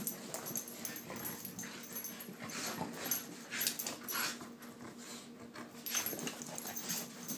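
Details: Siberian Huskies Ava and Bella on a typical morning: continuous wheezy, whining vocal chatter rising and falling in uneven bursts, louder around three to four seconds and again near six seconds.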